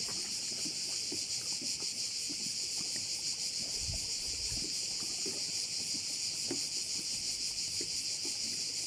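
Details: Crickets on a bay at Korčula, Croatia, keep up a steady, high shimmering trill, with faint lapping water and knocks underneath.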